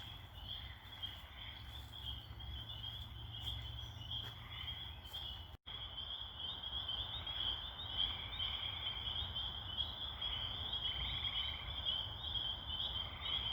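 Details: At a pond at nightfall, as it grows dark, tiny spring peepers form a dense chorus of high, shrill whistles that blur into one steady ringing tone.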